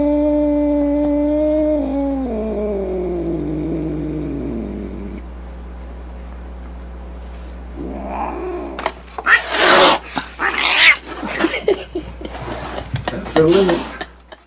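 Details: Angry domestic cat: a long sliding yowl that falls and fades, a pause, then a burst of sharp hissing and spitting snarls.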